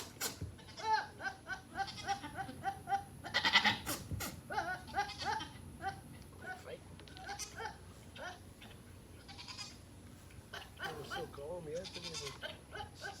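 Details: Two playful goats chasing each other give rapid, wavering, harmonic-rich bleats in quick series, loudest in the first four seconds with a strong burst around three and a half seconds, then softer, more spaced calls.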